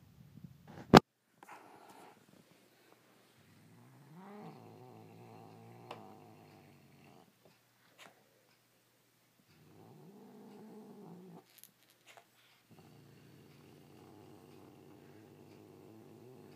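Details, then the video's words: A male house cat defends his toy from another toy, making long, low, wavering growls in separate bouts, each rising slightly at the start and held for a second or more, with a sharp click near the beginning and quiet pauses between. "Cat growling, snarling and hissing to protect/defend his toy from one of his other toys."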